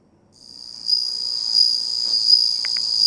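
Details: Bell cricket singing on 27 August 2020, a sustained high, bell-like ringing trill that starts after a brief silence and continues with slight pulsing, plus a couple of faint clicks.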